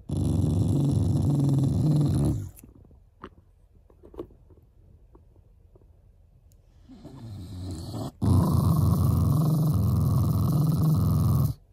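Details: Shiba Inu house dog growling playfully at its owners out of affection: long rough rumbles at the start and end, a softer rising growl in the quiet middle stretch.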